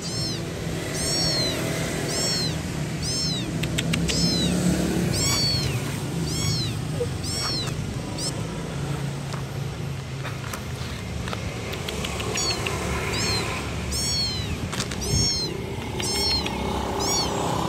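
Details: Kitten seeking its mother meows insistently and almost without pause, short high bowed cries repeated several times a second in irregular bursts, over a constant low hum.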